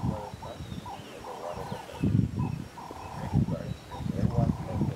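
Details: Wild male lion coalition at Mohlabetsi, patrolling their territory on 25 October 2016; a series of deep, hoarse grunting calls, each about a second apart, outdoors with faint background noise.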